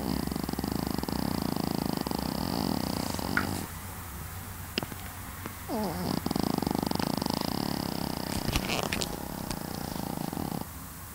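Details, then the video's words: Snoring Pekingese dog: rapid, buzzy, rattling breaths that come in long pulsing stretches, broken by a quieter pause and a few clicks, over a low constant hum. "snoring dog - pekingese"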